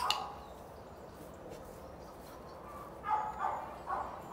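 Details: Border Collie during obedience training: one sharp bark at the start, then a quiet stretch, followed by three short, clipped barks in quick succession near the end.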